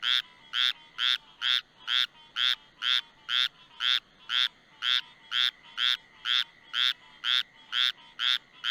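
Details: A small Squirrel Treefrog (Hyla squirella), out hunting insects near porch lights, gives its advertisement call: short, raspy, duck-like quacks repeated about twice a second, though some describe the sound as squirrel-like.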